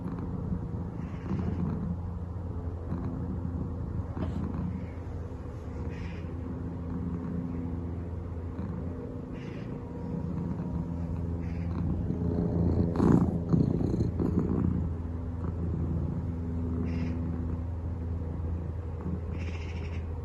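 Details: Domestic cat purring while napping, startled as an aeroplane passes overhead: a steady, low, rumbling purr throughout, with a louder swell of broad noise around the middle of the recording.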